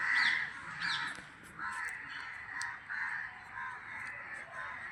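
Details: Bats at a roost among tall shade trees: raspy, squabbling calls rise and fall in repeated bursts about every second, with thin squeaks over them and a man's voice faintly beneath.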